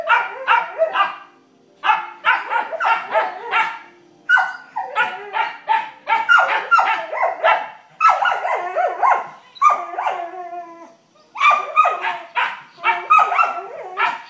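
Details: Vizsla pups playing while Penny learns she can bark too, turning it into a contest: long stretches of rapid, high-pitched yapping barks in bursts, broken by brief pauses.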